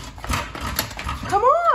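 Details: Wolfdog whining while trying to get through a dog door, a high rising-then-falling whine near the end after a woman coaxes it to come in and not bite the door; speech and shuffling throughout.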